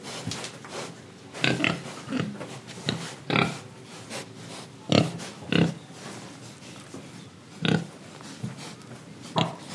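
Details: Pig in Indonesia, breathing and eating: short rough oinks and snorts come in irregular bursts, some closely paired, with quieter snuffling breaths between them in a small enclosed space.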